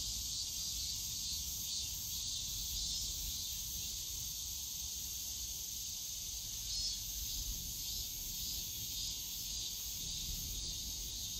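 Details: Cicadas calling in the bamboo forest of Yongsan Family Park on a summer day, a continuous shrill buzz with gentle waves of rising and falling intensity, distant low urban rumble underneath.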